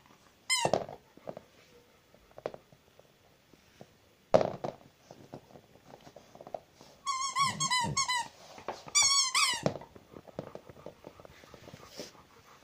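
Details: Zhenya the house Rottweiler whines in high, squeaky, downward-bending notes: one early burst, then two tight clusters of about five quick whines each, with thumps and faint room noise between.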